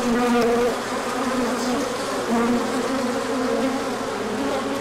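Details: Crowd of bees in a large orientation flight on 24 March 2024, sun out after cooler days. Thick buzzing hum with individual wavering tones passing, an even continuous drone.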